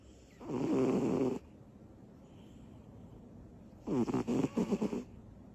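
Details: Small female cat Butters sleeping off her energy bursts: two strong snores, the first a steady rasp, the second broken into rapid stuttering pulses, with quiet between.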